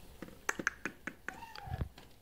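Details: Mother cat grunting and whimpering with pride indoors as her only kitten plays with a toy it found under the bed. A short, falling, mew-like tone sounds among sharp taps and clicks, with a soft human voice nearby.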